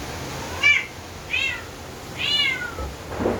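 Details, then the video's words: Orange house cat, angry during rain and a thunderstorm, giving three short complaining meows in quick succession, each rising and falling, with a soft low rumble and a brief rustle at the end. "Orange cat complaining about rain & angry with the thunderstorm!!"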